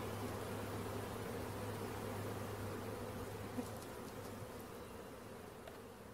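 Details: Massed buzzing of a honey bee swarm during capture, a thick continuous drone that fades slightly toward the end, a faint low tone underneath and one small tap.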